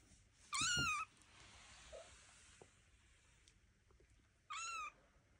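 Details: Young Devon Rex kitten on its first walk around a room, watched by its mother Elma and an aunt; two thin, high-pitched meows several seconds apart, each wavering and brief, in an otherwise quiet room.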